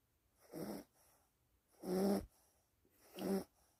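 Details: Pet dog Gureum snores steadily, three loud raspy, buzzing inhalations about a second and a quarter apart, each with a low droning tone, quiet breathing between them.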